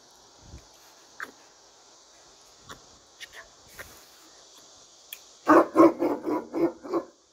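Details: A Turkish Great Dane behind bars gives a fast run of about six loud, deep, booming barks, roughly one every quarter second, after a quiet start of soft scattered noises and steady hiss.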